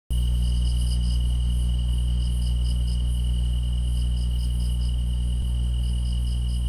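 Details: Grass insects in chorus: a steady, unbroken high trill runs throughout, with bursts of rapid, higher chirping pulses in groups and a fainter shimmering band above, all over a constant low droning hum.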